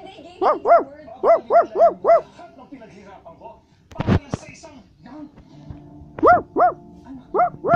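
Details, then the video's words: {'caption': 'Barking Basset Hound: a series of bright, arched barks, then a loud thump and rustle midway, then further barks in pairs.'} "Basset Hound is Barking"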